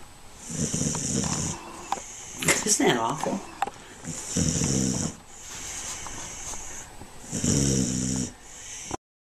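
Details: Dancer, a neutered male American Pit Bull Terrier, once a stray found by local animal control and adopted in June 2009, grunts in rough, snore-like bursts about a second long, spaced a few seconds apart, with a human voice between them and a steady high hiss throughout.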